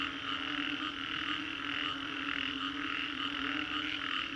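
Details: Post-storm frog chorus in Singapore's Green Corridor, many frogs calling at once in a thick wall of throbbing croaks that swell and ease in soft pulses about twice a second over a low continuous hum.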